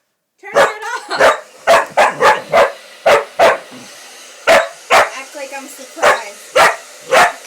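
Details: Pitbull-Corgi mix, a female dog, barks at a hair dryer indoors: around thirteen loud, abrupt barks in uneven bursts, some in quick pairs, others spaced about a second apart, with faint background chatter.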